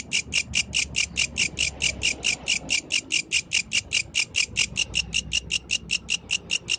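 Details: Night song of a yellow grasshopper: crisp, shrill rasping pulses repeated rapidly and regularly, roughly five per second, the only clear sound.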